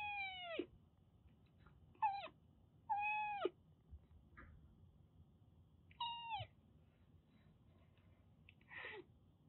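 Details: Rescued Siamese mix kitten, a former stray, in Kagoshima, Japan, around shampoo time. Five clear meows, each sliding downward in pitch, spaced one to three seconds apart, against a quiet indoor background.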